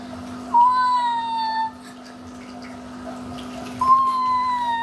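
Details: A domestic cat, described as the mother cat, making odd crying sounds indoors: two long, level, tonal meows with rich harmonics, about a second each and three seconds apart, over a steady low hum.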